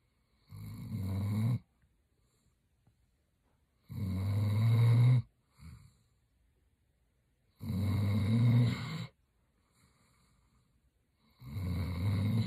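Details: German Shepherd Roxy snoring while sleeping indoors; four strong grinding snores of over a second each, spaced about three to four seconds apart, with a small snort between.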